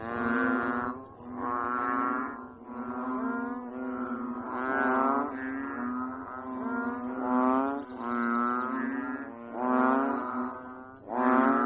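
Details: Balloon-puffing frog, known locally as palakang bukid, blowing out air in loud repeated honks; rich droning honks follow one another about every one and a half seconds, each swelling then dropping, over a thin constant high tone.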